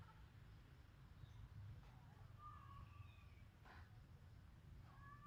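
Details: Cat in a Khmer village in Cambodia, recorded on a Samsung phone, giving a clear drawn-out meow midway, then a brief rising call near the end, with a sharp knock and constant low hum behind.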